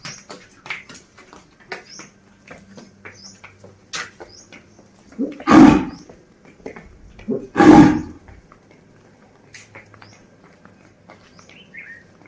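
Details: Desi bull in a village calling a companion to come home, giving two deep, rough bellows about two seconds apart after a quiet stretch, while small birds chirp thinly in the background.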